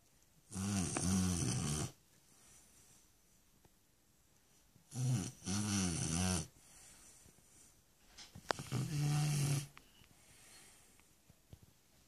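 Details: Shar Pei named Stefanie snoring in a small room, three separate low, rasping snore bursts of one to two seconds each, with quiet breathing gaps between them.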